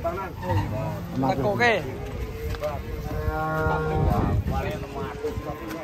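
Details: Cattle being loaded onto a truck that tipped over during loading. A long, steady, drawn-out moo with strong even harmonics holds for a few seconds, surrounded by people talking and calling out.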